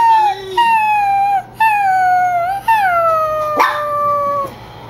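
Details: Pet Chihuahuas reacting to an annoying whine: long tonal howls, each held about a second and slowly falling in pitch, repeated back to back with brief breaks.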